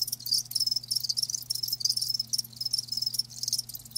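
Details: High, ringing cricket chirps from live insects, rapid pulsed trills repeating almost without pause, a low electrical-sounding hum underneath.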